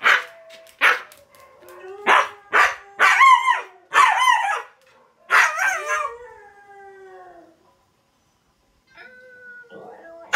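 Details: Siberian Husky named Astra howling while watching videos; a run of short harmonic yelps and bark-like calls leads into longer wavering, sliding howls with rich overtones, then a quiet pause and a faint steady tone near the end.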